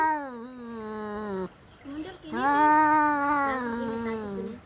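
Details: During a cat fight, two drawn yowls sound: a falling, wavering moan, then after a brief break a longer, louder, tremulous wail that slowly sinks in pitch.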